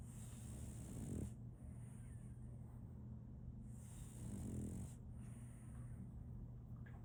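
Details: Solaimy, a female French Bulldog puppy, snoring while asleep: two deep, rasping snore breaths about three seconds apart, each swelling then fading, over a steady low electrical hum and faint hiss.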